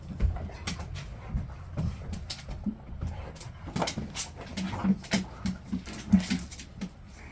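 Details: Excited golden retriever playing in the snow in Chuncheon, South Korea, one of six dogs living together. It gives short, low, whimpering grunts and whines, repeated in quick bursts, while a person talks to the dogs nearby.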